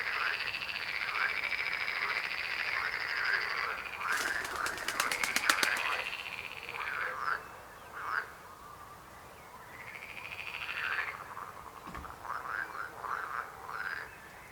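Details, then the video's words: Frogs croaking in a chorus, with overlapping rising trills and rapid pulsed croaks repeating several times per second, plus a brief burst of fast clicking rattles near the middle. "Rechot żab. Croaking frog sound."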